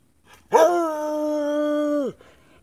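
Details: A Treeing Walker Coonhound, excited about a car ride to the store for food after running out, gives a single sustained howl, rising sharply then holding a steady tone.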